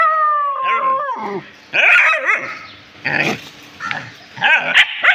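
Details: Pet dogs reacting to something they have found: a drawn-out whining tone slides down, then sharp, high yipping barks come in short bursts separated by brief pauses.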